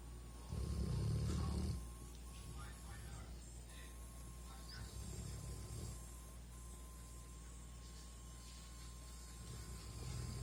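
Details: Sleeping greyhound Max gives one loud, low, rough snore lasting just over a second, followed by fainter snores a few seconds apart, with a constant background hum.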